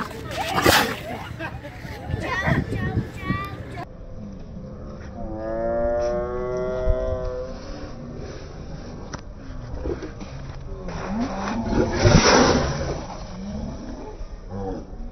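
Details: An aggressive sea lion, lunging at other sea lions and people on the fishermen's quay at the Port of Mar del Plata, Argentina, gives a deep, rasping, drawn-out growl, with people talking nearby.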